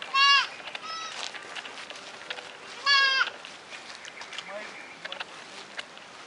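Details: Bleats of white and red goat kids, captured on a digital camera: two short, quavering calls, one at the start and one about three seconds later. Soft background murmuring and scattered clicks fill the gaps.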